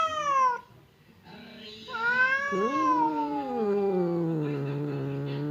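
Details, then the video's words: Two cats, fierce Temon and quiet Lelo, separated by a partition while seemingly ready to fight; a falling yowl, brief quiet, then a long moaning caterwaul that drops into a deep drawn-out growl. "SUARA KUCING BERANTEM | cat fight sound effect"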